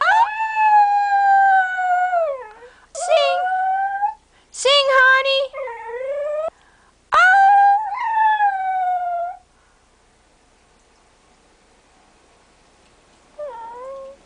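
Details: A Cocker Spaniel "sings" on her owner's prompting of "sing, Honey" in June 2008, howling in long, wavering notes that bend up and down, with pauses between phrases.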